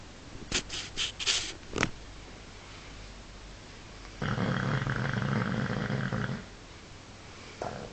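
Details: Sleeping bulldog Paul gives one long, coarse, vibrating snore of about two seconds. A few sharp clicks or knocks come before it, and a short snort begins just as the clip ends.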